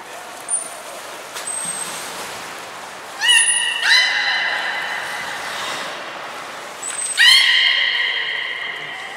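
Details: Three captive belugas, Hodoi, Gray and Mirai, in training at Port of Nagoya Public Aquarium on 1 December 2019: brief high whistle pips, then two rich buzzy harmonic calls lasting about a second each, sliding down at onset, over echoing background.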